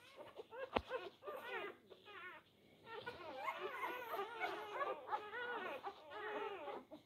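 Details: Four-day-old Labrador Retriever puppies struggling over teats. Softer, more distant overlapping whimpers and wavering squeaks, with a sharp knock near the start and a faint hiss beneath.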